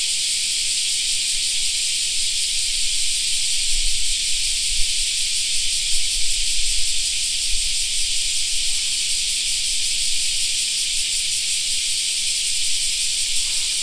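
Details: A continuous shrill cicada buzz rings through a summer park, level and unbroken, with a faint quick throb. Low thuds and rumble come and go in the middle.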